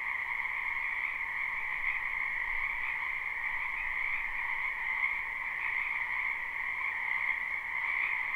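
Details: Croaking frogs in a wetland during spring, recorded live: a thick steady chorus of many overlapping callers, even and unbroken, with slight rises in intensity.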